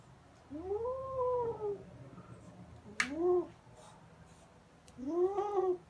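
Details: Kitten growling while playing with a fluffy toy, running around indoors; three drawn-out, harmonic, arched wails, the first longest, with a sharp click between them.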